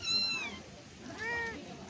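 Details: Cat being played with and fed indoors: two clear high meows, the first long with a falling end, the second shorter and arched, about a second apart over a faint room hiss.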